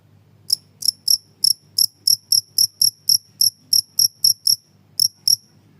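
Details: Cricket chirping loudly in a recording offered as a master sound for songbirds and to drive away house mice; sharp, high, metallic pulses come in an uneven train of roughly fifteen, with a brief break near the end.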